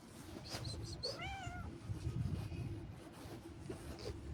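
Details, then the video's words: Domestic cat taken on a little walk, making one wavering meow that rises and falls, preceded by a few sharp higher clicks, with rumbling outdoor noise and footsteps throughout. "I took a little walk with my cute friend and cat😸."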